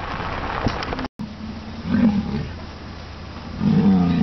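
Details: American bison at Wind Cave National Park on July 27, two low drawn-out roaring bellows separated by a short pause, over steady outdoor rumble.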